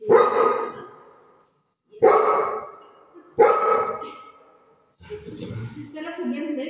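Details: Golden retriever named Buzo, playing at home and afraid of balloons, gives three loud barks spaced about one and a half seconds apart. A woman then speaks over the final seconds.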